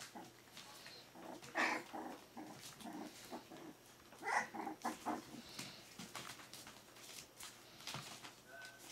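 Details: Smooth-faced Pyrenean Shepherd (Berger des Pyrénées à Face Rase) puppies, four weeks old: irregular bursts of thin whimpers and squeaky squeals, some briefly rising high, spaced unevenly over soft shuffling and small clicks.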